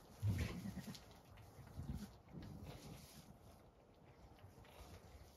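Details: Zwartbles ewe Damaris on a farm in County Kilkenny, Ireland, just after giving birth at night to twin lambs, one pulled; a deep, low, throaty grunt-bleat opens, followed by softer low murmurs amid faint barn background.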